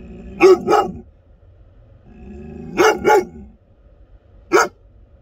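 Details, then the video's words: American Akita dog giving loud, deep barks: a quick double bark, a pause, another double bark, then a single bark, five in all over about five seconds, with a low background rumble between them. "american akita barking, best dog loud barking"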